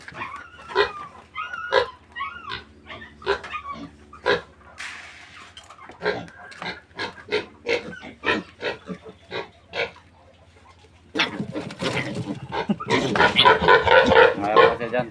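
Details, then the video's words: Weaned piglets of a new sow, about one month old, on a farm: a rapid run of short sharp squeals and grunts, then a brief lull before a dense burst of louder overlapping squealing. "Pagwawalay ko sa mga biik ng bagong inahing baboy"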